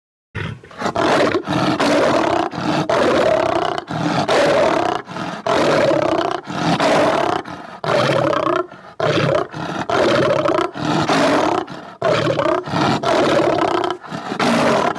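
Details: Tiger in a very dangerous mood, giving loud, rough, sustained roars broken into bursts of about a second, separated by abrupt brief silences throughout.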